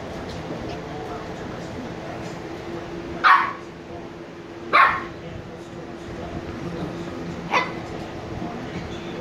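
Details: Two sleepy 86-day-old Shiba Inu puppies: three short, sharp yips spaced a few seconds apart over a steady humming background.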